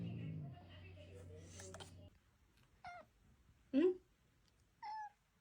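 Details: Pet cat called Stinky, indoors, gives three short meows spaced about a second apart after a stretch of a person talking and crying.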